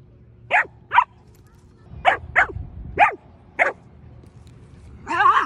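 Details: Aria, a female Samoyed kept as a pet, gives short sharp barks, mostly in pairs about half a second apart, six in all, ending with a longer wavering vocal sound; low steady hum underneath.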